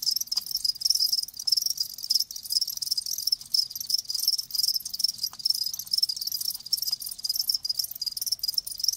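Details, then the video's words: Dense, steady chorus of live crickets, high-pitched trilling chirps repeating quickly with a couple of faint clicks in the background. "Live Crickets 60min "Natural Sound""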